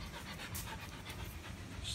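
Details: Quick, breathy panting from a Belgian Malinois during basic training, with a faint trace of a voice in the background.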